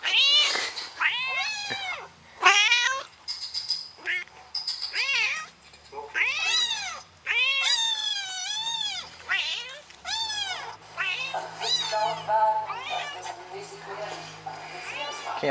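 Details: Kitten meows played back in a van; the mother cat searches under the bed and throughout the van for the kitten. Many rapid, insistent rising-falling meows follow each other over fifteen seconds, some shrill and drawn out.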